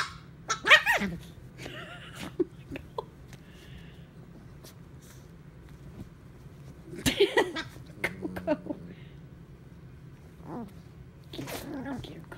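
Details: Dogs at play, Fat with Coco the puppy, who has not amused Fat: short yelping and whining bursts with snorts and a sneeze, separated by quiet stretches and soft pattering movement.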